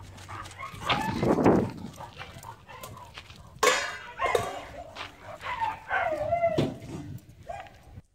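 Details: Happy Great Dane running through a forest, letting out scattered barks and short whining yelps at irregular intervals amid crackling footsteps and rustling undergrowth.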